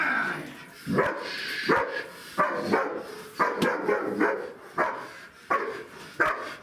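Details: Siggi, a two-year-old female German Shepherd with a nervy temperament, barks during protection bite training in an unfamiliar setting; loud, sharp barks repeat roughly every second, eight in a row, fairly steady, with little else heard.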